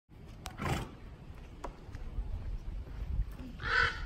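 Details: Grévy's zebra Kahlfani, an adult male living with two females and their foals at Los Angeles Zoo, calling twice: a short harsh broadband burst near the start and a stronger rasping, harmonic burst near the end, over low outdoor rumble.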